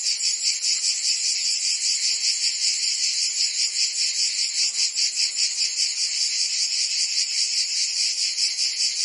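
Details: Provençal cicadas in France during summer make a steady, piercing buzz. It wavers in quick regular pulses, a little over two per second, and stays constant with nothing else audible.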